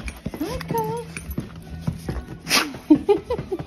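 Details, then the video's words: Welsh Springer Spaniel in an ecstatic greeting: high, wavering whines that rise and fall, then short squeaky yelps near the end, with a person saying hello and shuffling noises. "Ecstatic Welsh Springer Spaniel greeting"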